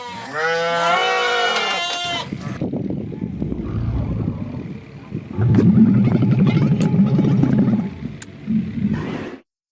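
A short quavering bleat opens, then a camel takes over with low, rasping grunts and throaty gurgling rumbles. The guttural sound rises and falls in rough bursts for several seconds before stopping.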